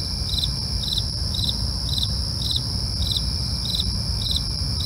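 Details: Crickets at night: short pulsed chirps repeating about twice a second over a continuous high, steady insect trill, with a low rumbling background hum.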